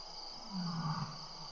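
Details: One of seven lions visiting the Tembe lion cam one April 2013 evening gives a single short, deep grunt that drops slightly in pitch, against constant background hiss and a thin high whine.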